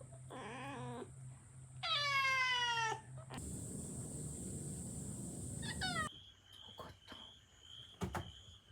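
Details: Kitten, angry after returning from a trial stay, calling indoors: a short wavering cry, then a long high strained yowl, a harsh hiss-like burst, and a brief final cry, followed by quieter clicks and a woman speaking.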